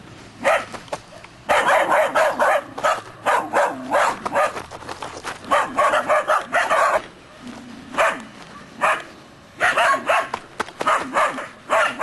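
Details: Three-month-old Belgian Groenendael shepherd puppies from one litter barking at an unseen stranger, showing guarding instinct; rapid, overlapping high yappy barks in bursts from several pups, with short gaps and steady background noise.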